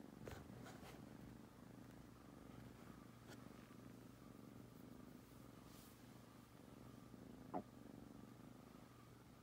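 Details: A litter of spayed and neutered foster kittens napping in Huntsville, Alabama purrs in a steady low rumble with slight breathing pulses, a few light rustles early on and a short click near the end.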